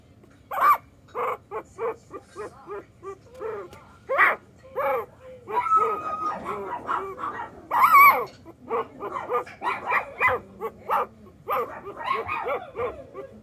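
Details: Puppy crying in a sweet, babyish way: a long series of short high whines and yelps, some rising and falling, several bursts each second with brief pauses, over a low steady hum.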